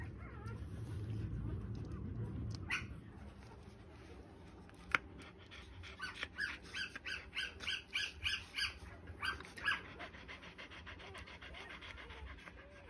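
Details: Three-day-old Australian Shepherd puppies: low rumbling background at first, then a burst of rapid, high, thin squeaks and whines packed close together over several seconds before fading.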